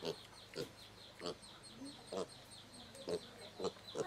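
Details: Domestic pig giving brief, clipped grunts roughly every half second, each a short tonal burst, with a continuous high-pitched insect-like drone behind them.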